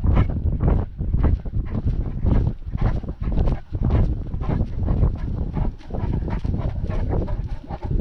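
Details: Panting from a Great Dane out walking with a GoPro strapped on during lockdown: loose, uneven breathy puffs close to the microphone, mixed with heavy low thumping and wind rumble.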